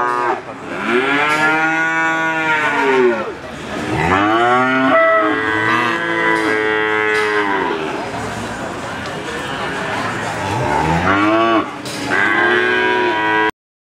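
A crossbred Simmental calf bawls in long, rich moos that rise and fall in pitch.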